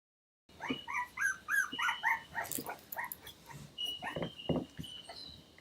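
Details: Three-week-old toy cavoodle (cavapoo) puppies from a breeder's litter sired by red toy poodle Piccolo: a quick run of about eight high, squeaky, tonal yips, then several harsher, lower bark-like yelps, over a faint steady high whine.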